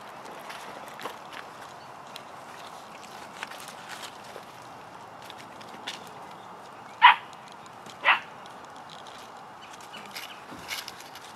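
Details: Puppies of Chloe and Jericho playing and exploring around their den; two short, sharp yips about a second apart stand out over a quiet outdoor background with faint scattered rustling and clicks.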